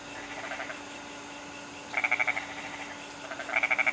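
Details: Bali goat frog calling in goat-like bleats, each a fast train of five or six pulses. A fainter burst comes first, then two stronger ones about one and a half seconds apart, over constant low hum.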